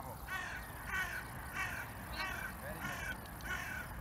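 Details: German Shepherd Saber, excited at reunion with his owner after just over two weeks apart, gives a run of short, harmonic, yelping calls repeated roughly every half second, with a human voice mixed in.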